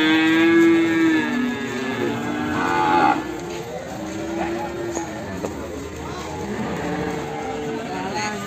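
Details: Morning recording of a Limousin calf from Ambarketawang, Sleman: one sustained lowing moo opens, lasting nearly three seconds, then fades under music, applause-like clatter and talk of bidding.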